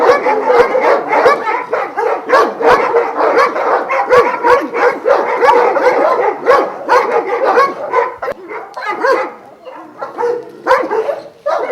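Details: Chorus of Šarplaninac dogs at a Jasika kennel near Kruševac, Vujanski lineage, twelve kept; dense overlapping barks from many dogs, rapid and continuous, with sharp metallic clicks throughout and a slight easing near the end.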